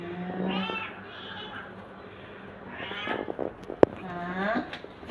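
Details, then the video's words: A cat that looks afraid meows several times in short harmonic calls, with a sharp click near the end and background talking in the room. "Cat looks afraid funny cat videos 2025 meow"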